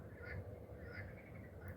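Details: Garden frogs croak at night under a gibbous early-June moon in France, giving quacking, nasal bursts that repeat every half second or so over a low hum.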